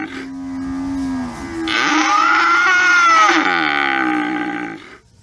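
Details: Cow lowing: a long, loud moo of about five seconds. It begins as a steady low drone, then swells into a strained, harmonic-rich bellow that rises and falls in pitch before tailing off.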